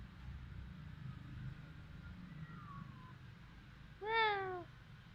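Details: Village cat in Cambodia, recorded with a Samsung phone, gives one clear, downward-sliding meow near the end, after a quiet stretch with faint low rumble and a soft distant tone.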